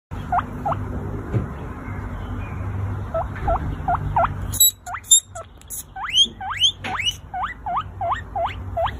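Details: Guinea pig giving a run of short rising squeaks, each sweeping sharply upward, roughly two per second and growing louder in the second half, over a low steady hum with a few clicks and taps.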